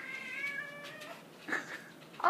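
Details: A kitten gives a long, high, wavering meow followed by two shorter, sharper mews, meowing because he wanted to get into the dishwasher.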